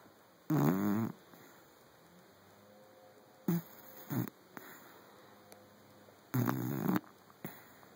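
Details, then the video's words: Teddy, a five-month-old Saint Bernard puppy, snoring while asleep: three separate noisy breaths with a wavering voiced tone in the first, plus short softer snorts in between, over a steady background hum. "Teddy snoring"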